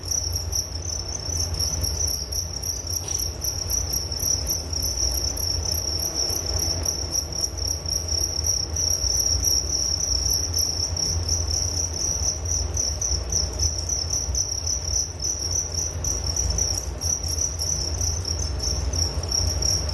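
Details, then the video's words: Twenty seconds of continuous cricket chirping: a piercing, quickly pulsating high trill with a fainter higher buzz, never pausing, over a constant low background rumble. "Relaksasi Suara Jangkrik Penghantar tidur || Nature Sound of Crickets"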